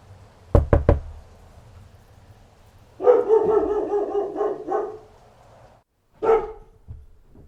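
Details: Dog barking: three sharp knocks open, then a long run of harsh, harmonic barks blurring together for about two seconds, and one more single bark near the end.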